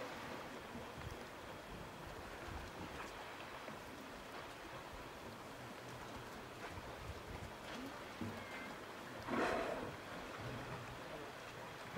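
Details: Boat engine drone and water wash on a foggy whale-watching trip near Telegraph Cove, British Columbia, with a brief splash or gust near the middle and no clear animal calls.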